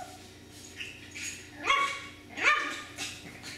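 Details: Miniature Schnauzer puppies indoors giving two short, high yipping barks with harmonic stacks about a second apart, plus fainter whimpers and a steady background hum.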